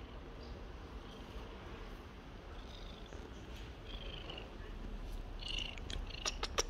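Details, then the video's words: Seal point Siamese cat purring as it is stroked, asking for attention; a continuous low, buzzing purr dominates, with faint rustling and light clicks toward the end. "Siamese cat purring and enjoying pets!"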